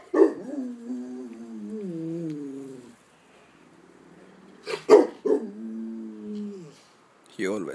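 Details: Rottweiler answering a distant ambulance siren, behaviour he always shows; a sharp yelp opens into a wavering, tonal howl lasting nearly three seconds, then a pause and a second sliding howl, with another sharp onset at the end.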